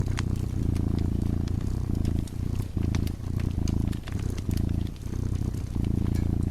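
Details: Dozing cat purring beside a burning fireplace; a deep, steady rumble pulses with each breath, about every three quarters of a second, while sharp crackles and pops from the fire scatter over it.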